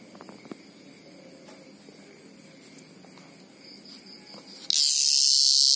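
A greengrocer cicada bursts into a loud, harsh, high-pitched scream after near silence.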